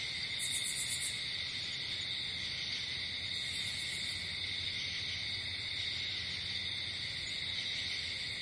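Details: At night in nature, crickets sustain a steady shrill high trill, while two short, very high pulsed buzzing bursts stand out near the start and middle.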